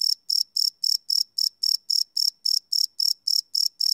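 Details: High, clean cricket pulses repeat steadily about four times a second at night, recorded live without loops on a Sony PCM D100 field recorder; nothing else intrudes.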